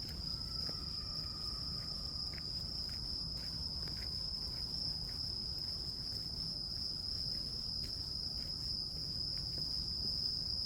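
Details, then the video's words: Grass insects such as crickets give a steady, high, ringing trill that never breaks, with a fainter overtone above it. Soft low rumbling noise runs underneath, and a few brief clicks are scattered through. "풀벌레 소리"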